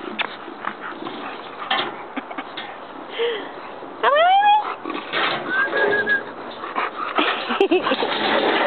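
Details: Bulldog puppies playing on a playground: a sharp rising squealing whine midway, short yelps and snuffles around it, with scuffling and general background noise.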